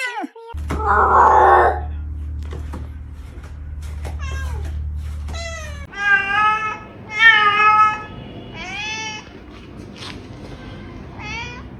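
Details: Cat in a quiet indoor space: after clicks and a low steady hum, a run of short, sharp harmonic meows comes every second or so, some rising, some falling, with light tapping between them.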